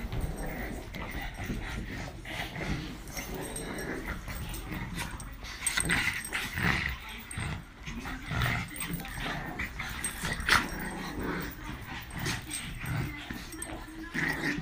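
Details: Pugs and other household dogs at play, barking in short bursts scattered through the clip amid scuffling and rustling noise, with people talking and urging them on in the background.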